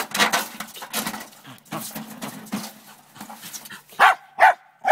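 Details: Morning scene of a female Lakeland Terrier trying to get at a chipmunk in a downspout: scraping and scuffling noises with low grumbling, ending in two sharp, loud barks half a second apart.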